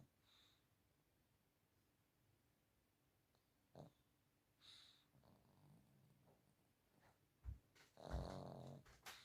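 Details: A 15-year-old female dog asleep in her bed, snoring; quiet low breaths broken by short snorting bursts, ending in a louder rough, raspy snore and a sharp snort.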